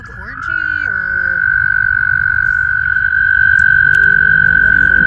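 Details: Mating frogs in a spring vernal pond: one loud, steady, high trill held unbroken throughout, with a brief lower voice-like sound at the start and faint background rumble.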